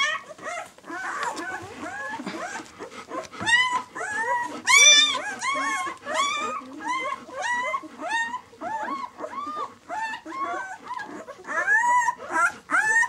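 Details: A litter of six-day-old White German Shepherd puppies, "of White Night" B litter, squeaks and whimpers continuously, many short arched cries overlapping, with a human voice faintly early on.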